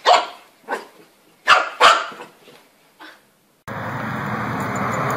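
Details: Puppies giving a quick run of five high, clipped yaps that fade and spread out. A steady loud hiss of noise takes over for the last second and a half.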